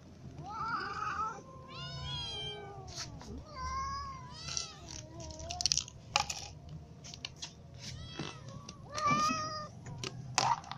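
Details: Hungry young and adult cats awaiting food give a rapid run of overlapping meows, some wavering and rising, others falling, with scattered clicks and bumps between calls.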